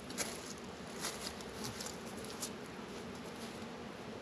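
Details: Honey bees working at a beehive in a northern Kentucky apiary on a 72-degree February day. A steady low hum of many bees fills the recording, with scattered higher clicks and crackles above it.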